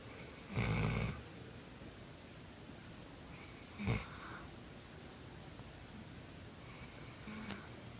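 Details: Sleeping dog named Bolo gives a low, rough snore lasting about half a second, then a shorter snort-like breath a few seconds later, with near-silence in between.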